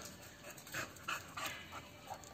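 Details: American Bully dogs waiting to taste crunchy biscuits; rapid rhythmic breathy panting puffs, about four bursts per second-and-a-half, with a steady high electronic whine and faint background chatter.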